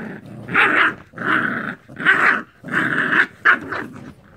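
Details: Growling American Bully puppies tussle roughly over an Angry Bird toy, each loud, gravelly growl lasting about half a second, five or six in a row with short pauses between.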